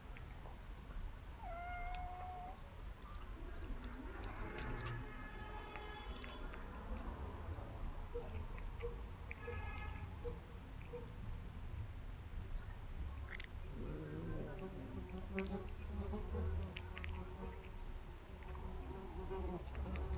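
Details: Pet cat fed from a remote-controlled car, making several short, faint meows spread through the recording amid steady low rumbling background noise and occasional clicks.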